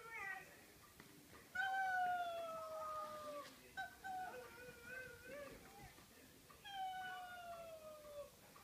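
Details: Jada, a pet dog, gives long drawn-out whines, each tonal note sliding slowly downward and lasting about two seconds, with three main whines separated by shorter, softer wavering sounds in a quiet indoor room.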